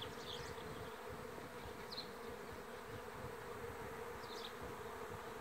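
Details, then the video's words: Swarming honey bees, 27 May 2016, Lithuania, giving a continuous even droning hum throughout, while a few brief high bird chirps sound faintly behind it. "Bičių spiečius 2016-05-27"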